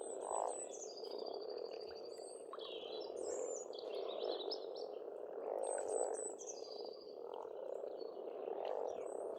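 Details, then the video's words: Frogs chorusing at a pond in Estonia in spring: rolling, continuous croaks swell and fade, while songbirds add repeated high whistles and fast trilled phrases over the top. "Расслабляющее пение птиц и лягушек, весна, природа."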